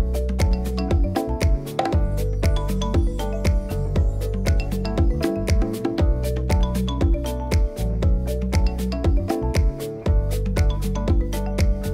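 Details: Loud, steady-beat music with bass and percussion plays throughout, and no animal sound is heard.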